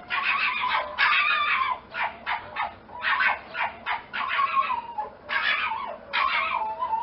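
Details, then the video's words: Rapid, choppy yips and whines from a fox crowd one another with little pause, over steady low background noise. "fox sound effect"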